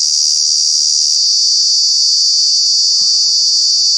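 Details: Cicada calling in Kanha National Park in the summer months, a very loud, continuous shrill buzz held steady throughout, with a faint low hum entering near the end.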